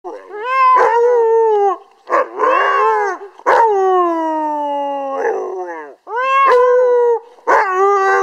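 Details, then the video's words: Siberian Husky singing: loud, richly harmonic howls in several long phrases, each starting high and sliding downward, the longest drawn out for nearly two seconds, separated by short pauses. "ХАСКИ ПОЁТ"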